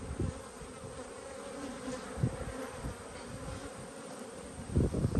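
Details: Many honey bees humming in an open hive during a 19/3/22 inspection, shortly before a puff of smoke. A level, low buzz runs underneath, with scattered thumps and a cluster of knocks near the end.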